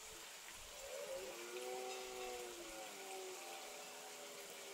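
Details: A red deer stag roars in the rut in the Hautes-Pyrénées, France, a sustained, throaty moan that holds its pitch and slowly fades over steady broadband hiss like wind or distant water.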